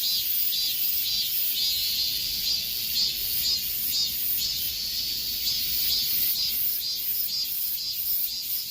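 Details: Cicadas buzzing in midsummer heat, the shrill chorus showing distinct regular pulses about two per second over a constant high whine, with no other animals or people clearly heard.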